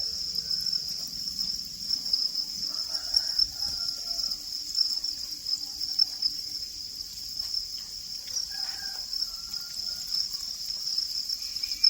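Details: Crickets keep up a constant high trill, with brief faint chirps and murmurs at lower pitch scattered behind the steady chorus.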